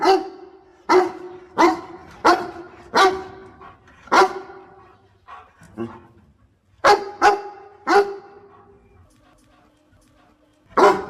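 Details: A dog aiding its owner in picking water spinach barks in a fast series of four harsh barks, then quieter lower woofs, another trio of barks, silence, and one last bark.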